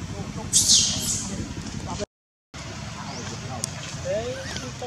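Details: Orphaned baby monkey Dustin, in Cambodia, screaming for his mother as brother David tries to stop the crying: one loud, harsh, high shriek lasting half a second, later a short lower sliding cry, amid rumbling background noise.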